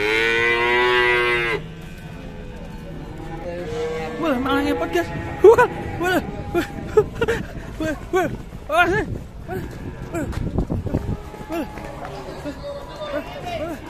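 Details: At an Indonesian cattle pen where a fierce cow is arriving, a loud, sustained, rich moo fills the first second and a half, followed by handclapping and people talking.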